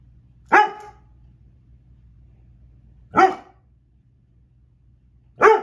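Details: Female pet dog barking at a fly she cannot catch: three single, sharp, harmonic barks spaced about two and a half seconds apart, with quiet pauses and a faint low hum between them.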